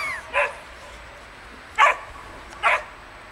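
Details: Samoyed puppies playing in the snow give three short, sharp, yapping barks, one early and two close together near the end, over a quiet background hiss.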